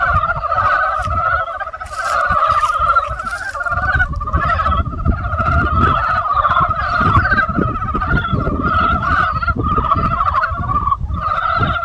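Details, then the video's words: Springtime frog chorus: countless overlapping rattling croaks form a continuous pulsing drone with a lower and a higher band, accompanied by a deep rumbling background and a brief hiss near the start. "개구리소리 the sound of frog broke spring"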